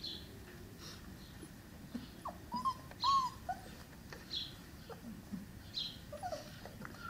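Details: Cane Corso puppies, five weeks old, giving soft, brief whimpers and short rising yips. The calls are scattered and come a few at a time against a quiet, faintly hissing background.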